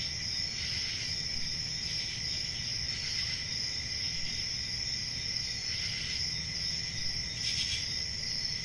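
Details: Crickets chirping on a peaceful country summer night in a forest: a steady, high, ringing trill from many insects, with soft broadband pulses about every second and a low rumble beneath.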